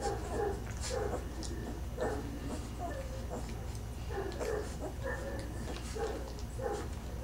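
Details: Great Dane puppy named Wolf nursing eagerly from its mother; short squeaky whimpers recur every half second to second, with a low steady hum beneath and a man's voice nearby.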